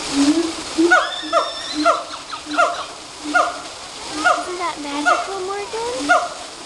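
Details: Monkeys singing at Woodland Park Zoo, giving a steady series of short hooting notes, each dipping in pitch, roughly one per second, with a few rising whistled slides near the end and splashing water throughout.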